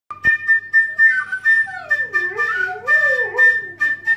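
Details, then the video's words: Igor, a pet saluki, singing: drawn-out howled notes that slide down and waver between low and mid pitch, rising and falling in wavy arcs, over a steady high whistle-like tone held throughout. "Singing saluki, Igor"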